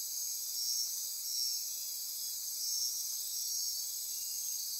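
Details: Nighttime rainforest insects near Corcovado National Park, Osa Peninsula, Costa Rica, produce a dense high buzzing drone, with brief whistled pulses recurring roughly every two seconds over the steady trill.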